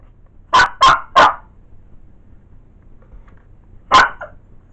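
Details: Male Blenheim Cavalier King Charles Spaniel, a pet dog at home in Wales, UK, giving three quick sharp barks in a burst, then a short pause and a single further bark; the house is otherwise quiet.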